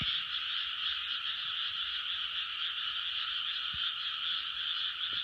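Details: Frogs in full chorus, 2020: countless croaking voices blend into one constant, pulsing trill with no pauses, and only faint low background taps underneath.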